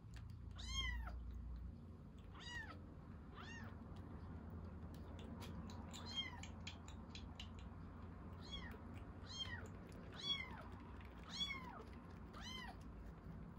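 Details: Rescued baby kitten at milk-feeding time, giving high arched meows with rich harmonics, about eight calls spread over the clip, some in quick pairs, over a steady low indoor hum.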